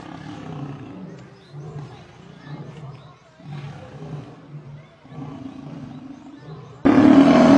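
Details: Lions during an attack in which a male lion is set upon and killed by a group of lionesses. Low, rumbling growls come in repeated bursts with short pauses, ending in a sudden loud, harsh blast.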